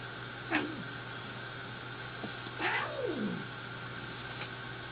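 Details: Angry domestic cat giving two falling, drawn-out meows about two seconds apart over a steady electrical hum and faint background noise.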